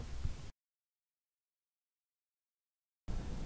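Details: Brief low rumbling noise at the start and end, with a long stretch of silence between.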